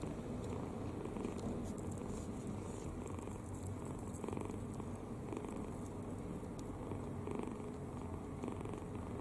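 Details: Sleeping kitten, mouth open and completely at ease, gives a constant soft snore, a dense low purring rumble with faint regular breathy surges and a few brief clicks, no other sounds.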